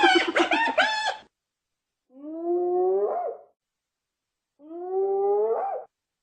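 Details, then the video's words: Hyena: a quick burst of rapid, stacked, giggling pulses about a second long, then silence and two drawn-out, rising, nasal whoops, each over a second long and ending in a brief upward twist. No other sounds. "hyena sound"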